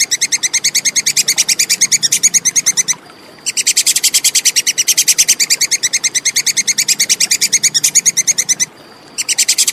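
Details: Tupai kekes, the Plantain squirrel, giving a long, steady volley of crisp, high-pitched ticking notes at about six per second, interrupted by two short silences. Quiet background, intended as tutor sound for songbirds.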